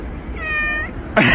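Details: Domestic cat giving a single clear, steady, harmonic-rich meow lasting about half a second, followed by a burst of noise.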